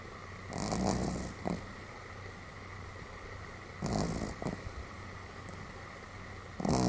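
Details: Pomeranian named Sam snoring rather heartily while asleep, filmed on 31 July 2015; rasping breathy snores roughly every three seconds, each a noisy burst with a low rumble, over a steady background hum.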